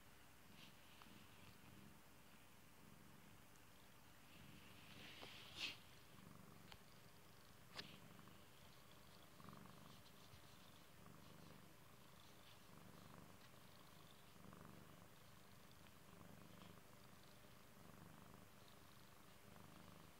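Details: Beloved pet cat purring close by, a low throbbing rumble rising and falling with each breath roughly every two seconds, broken by a brief rustle and a couple of small clicks.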